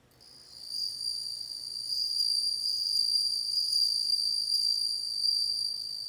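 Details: A bell cricket's song fades in and settles into a steady, high, shimmering ring, sustained without pause, with a thin higher overtone and slight pulsing throughout.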